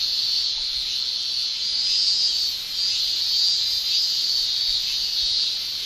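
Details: A continuous, piercing shrill from male cicadas on a Japanese summer day, produced by the tymbal organs. The hissing drone holds one high pitch and gently wavers in intensity throughout.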